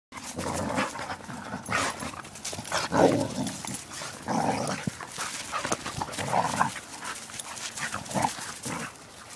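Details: Two pet dogs wrestling outdoors on a walk, giving repeated low rough growls and huffing pants in bursts through the clip, with rustling and footsteps alongside.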